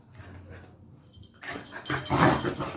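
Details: ['Angry Labrador Retriever puppy: a low, steady rumbling growl in the first second and a half, then louder harsh, broad snarling bursts building toward the end.']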